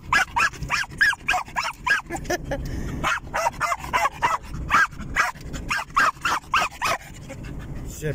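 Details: Pet German Jagdterrier riding happily in a car, barking and yipping in quick uneven bursts over engine hum, with a man's voice speaking Russian partway through.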